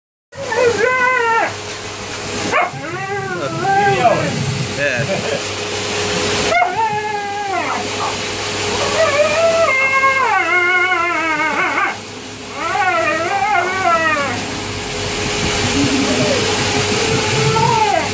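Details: Siberian Husky pup during its first hydrobath, giving repeated wavering, rising-and-falling whining howls in bursts, with human speech and a steady background hum of running equipment.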